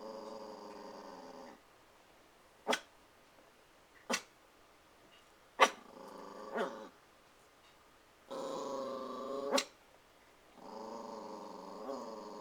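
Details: A puppy named Christian, protective and desperate to play with the cats, alternates long raspy growls with single sharp barks at uneven gaps, guarding against nothing there indoors.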